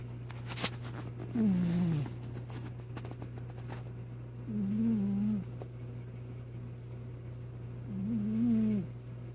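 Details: Troy, a pet cat, sound asleep and snoring indoors: three drawn-out, nasal, faintly whistling snores, each about a second long, come roughly every three and a half seconds over a steady low electrical hum.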